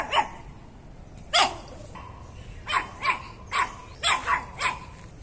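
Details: Sharp, high Chihuahua yaps from a compilation of angry, happy and crying dogs of this breed: about nine brief barks at uneven intervals, some in quick pairs, over a steady low background hiss.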